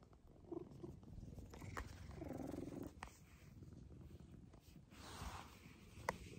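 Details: Maroshiro, a rescued house cat regressing to kittenish affection in a second-floor cat room, purrs in a rough, continuous rumble, with brief breathy swells and a few handling taps.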